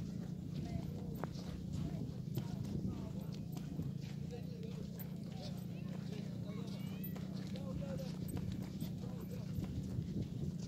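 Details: Hooves of horses ridden by children at Gunung Bromo, East Java, in June 2019: steady repeated clip-clop knocks over a constant low drone, overlaid by continuous chatter, instructions and voices of the riders and guides.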